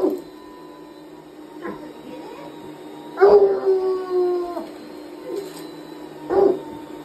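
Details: Hound dog howling at a vacuum cleaner indoors; long wavering howls with falling tones, one drawn-out cry in the middle, over the steady hum of the vacuum.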